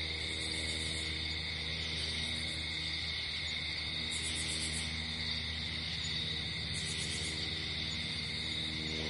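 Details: Night-time crickets outdoors: bright, high trilled bursts recurring roughly every two to three seconds above a continuous insect drone, layered over quiet held musical chords.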